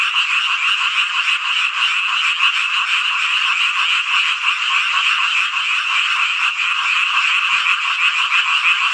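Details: Many frogs croaking together on a summer night in Hongcheon, Gangwon Province, Korea, their rapid overlapping pulses merging into a constant shrill, crackling chorus at even volume.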